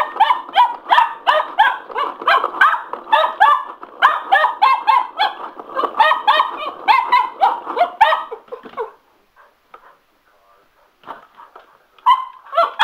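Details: Sugar, a male Cocker Spaniel, goes a little nuts indoors over a spin mop, barking in a rapid, harmonic burst of several yaps per second for about nine seconds, then a pause before a few more sharp yips.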